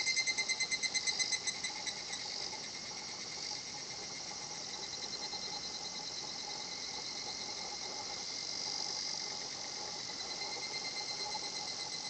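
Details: Higurashi cicada at the quiet natural spot Shinhotchian: a fast, high pulsed kana-kana phrase opens the recording, then fades into a continuous shimmering insect drone that swells and falls.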